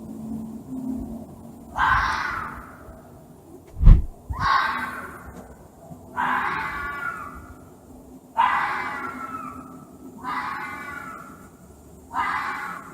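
A fox gives harsh, hoarse screams, each about a second long, repeated roughly every two seconds.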